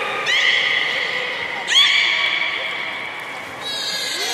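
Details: Young belugas of the children's team at Port of Nagoya Public Aquarium, 5 November 2017, at play during a pool transfer: bright harmonic squealing whistles, one sharp rising squeak near the middle, over a steady background hiss.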